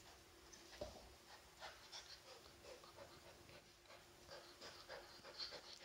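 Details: Eight-week-old Swiss White Shepherd puppy Elias, playing on his first day with a new family, breathes in rapid, soft, hissing pants that repeat steadily throughout, low in level with light handling noise.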